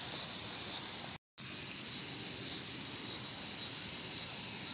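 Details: ['Cicada preyed on by a mantis, Showa Kinen Park, Tokyo, 2020; continuous high-pitched rasping buzz, interrupted once by a brief silent cut near the start.']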